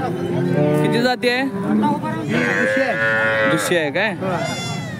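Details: Holstein Friesian cow at the Peth Vadgaon cattle market in Maharashtra, India: a low drawn-out moo with a strong harmonic stack, then a rising, wavering bellow, with men talking close by amid the market bustle.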